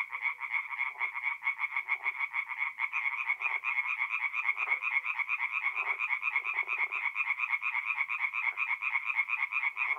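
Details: Night chorus of tree frogs at a forest pond in North-East Italy in mid-April; fast, regular croaking pulses pile into a continuous rattle, with occasional short lower-pitched calls breaking through.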